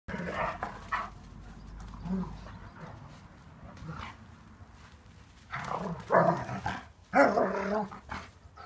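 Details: Dogs during a German Shepherd's attack on a Ridgeback: a few rough, harsh barks and snarls burst out near the end, mixed with people laughing and talking, over low background noise.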